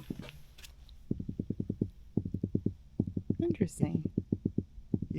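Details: A small, eating-size black drum (Pogonias cromis) just caught by bully net in Florida drums out of the water in quick bursts of low, knocking pulses, about ten per second.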